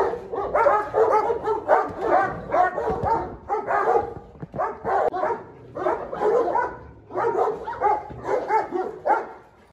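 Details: Vicious dog facing off against the dominant 'dog king', frenzied and rebellious; bursts of loud, harsh barking in clusters of several barks, separated by brief gaps roughly every one to two seconds.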